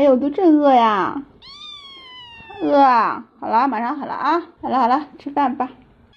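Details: Kittens clamour for food at the sight of meat, overlapping insistent meows, one long level whine among quick wavering cries, back to back with brief gaps.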